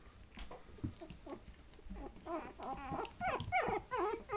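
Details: Patterdale Terrier puppies, 20 days old, giving soft whimpers and squeaks that grow into a run of rising-falling whines in the second half, with bumps and shuffling indoors.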